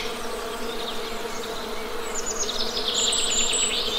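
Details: Low, even hum of Western honey bee buzzing, with a flurry of bright, high bird chirps joining in the second half.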